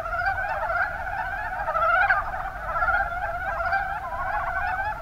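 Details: Mountain brown frog chorus from Kumamoto, Japan, in the Kuma Basin: soft overlapping clucking croaks, a louder rising burst midway, steady dense background of other frogs calling.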